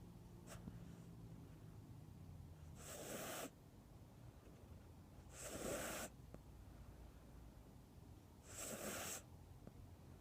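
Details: Cat asleep and snoring, three airy rasping breaths spaced about three seconds apart, with a faint low hum and quiet room noise between them.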